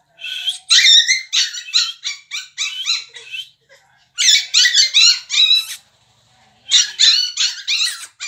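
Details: American Bully at a pet shop in Delhi NCR, India, letting out long runs of shrill, rapid squealing yelps, each burst packed with quick pulses, separated by brief pauses, with no other clear sounds.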